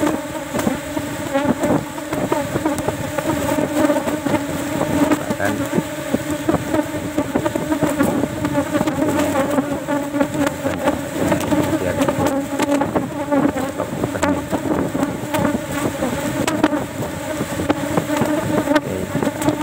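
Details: Honey harvest from the fourth cultivated Asian honey bee box of the day, taking just one frame because honey is still sparse; a thick, unbroken hum of many bees with repeated clicking knocks throughout.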